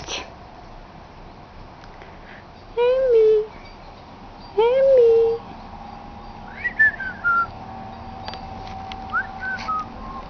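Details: Ten-week-old Italian Greyhound puppy Emka, a female, plays wildly indoors. Two loud, wavering, drawn-out whines about half a second each come first, followed by higher, shorter sliding whimpers over a faint steady room hum.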